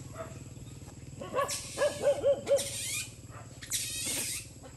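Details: Stray dogs on a Cambodian farm fight over rice beside a road. Harsh rushing snarls and scuffling bursts surround a quick run of four yelping barks about a quarter second apart, with a constant low motor drone beneath.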